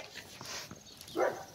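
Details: A 13½-year-old female Labrador retriever waiting for her food while being told to sit gives a single brief, mid-pitched bark or yelp, with a person speaking quietly nearby.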